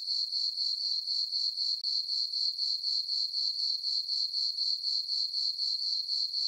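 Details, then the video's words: Under a full moon on a summer farm meadow, crickets keep up a shrill, even chirping, about four pulses each second, one short break near the start, the background otherwise silent. "Cricket chirping sounds for sleeping"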